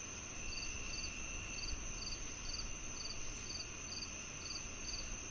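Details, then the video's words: Cricket chirps used as soothing sound therapy for tinnitus, alongside cicadas: bright high chirps recurring about twice per second above a continuous insect whine and noticeable low rumbling background. "The Cricket Sounds"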